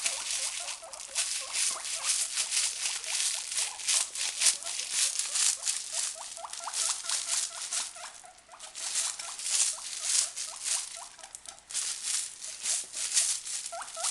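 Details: Two caged guinea pigs, one white and one brown, late at night, excited by a sound: short rising squeaks repeated in quick irregular bursts over dense, hissing rustling and pattering.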